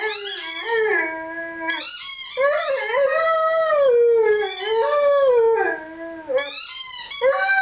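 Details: Lyle, a Rhodesian Ridgeback, howls along with his favorite squeaky toy: long, smooth, wavering tones that rise and fall in pitch, held for a second or more each, with short breaks between them and no other clear sounds.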